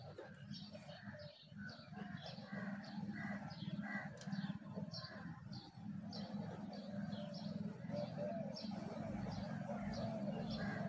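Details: Big honey bees at a hive holding about 5 kg of honey: a steady, low droning hum runs underneath, while bird chirps repeat quickly and high above it.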